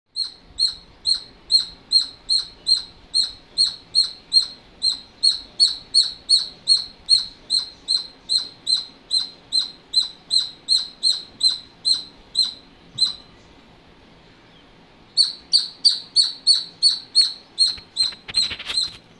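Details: Squirrel calling with a steady run of sharp, high chirps, about two and a half per second, each with a bright overtone; the calls stop for roughly two seconds near the end, then resume before a short rustle.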